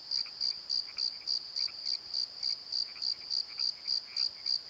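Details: At night in a Pozo valley bottom, crickets chirp in regular high pulses about three per second, while softer, lower croaking notes from frogs come and go beneath them.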